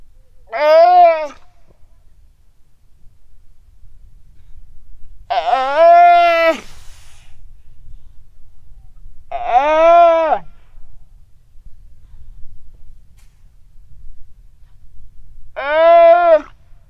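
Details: Weddell seal pup on the ice shelf, Terre Adélie, Antarctica, calling its mother late on a quiet sunny afternoon in November 2009, recorded with a Rode NT4. Four drawn-out, humanlike harmonic cries spaced several seconds apart, slightly arched in pitch.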